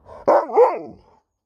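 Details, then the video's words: Alaskan Malamute talking back to its owner mid-conversation: a single loud, wavering woo-woo howl-like vocalization about one second long, rising then dipping and rising again, with no other sounds. "Dog won't let me Finish a Sentence without Talking Back!"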